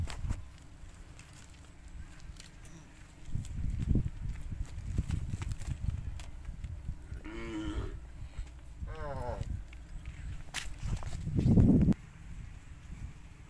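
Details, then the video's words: Wild-described fat cattle suited for fattening: two brief wavering moos a couple of seconds apart, each rising then falling, followed by a lower rough grunt, amid low rumbling noise and occasional knocks. "Sapi liar bos gemuk, Cocok Penggemukkan sapi lembu"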